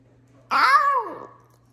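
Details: Pet Basenji, a barkless dog breed, indoors in a small room, gives one meow-like vocalization. A brief harmonic whine, under a second long, first rises and then falls in a smooth arch. A steady low room hum follows.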